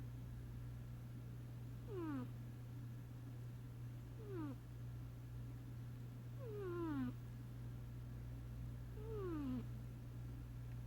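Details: Sasha the cat snoring while asleep: a whistled, falling nasal tone sounds on each breath, roughly every two and a half seconds, four times, over a steady low hum.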